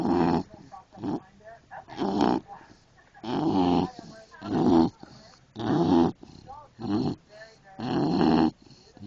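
An English Bulldog snores in loud, rasping bursts that return a little more than once a second.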